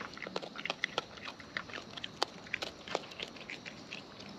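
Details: Close-up chewing of wild raccoons while eating: rapid crisp crunches and smacking bites, several per second, loud and dry against quiet outdoor background.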